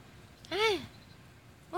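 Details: A domestic cat named Rooibos, a water-loving cat said to fear nothing, gives one clear arching meow that rises then falls, with a second call starting at the very end; a woman speaks in Italian just before and after.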